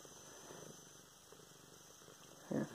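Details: Luna, a pet cat, purring while being petted on the head, filmed November 24, 2016; a soft, low, steady rumble runs through, ending in a brief louder burst near the close.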